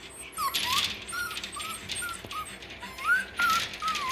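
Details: Young terrier pups, six weeks old, Parson Russell and Russell Terrier, crying at a gate in their kennel with thin, bending squeals repeated several times a second amid soft shuffling noises indoors.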